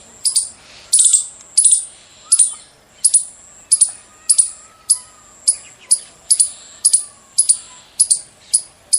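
A squirrel gives loud, shrill chirps, each sharp and very high, repeated about every two-thirds of a second.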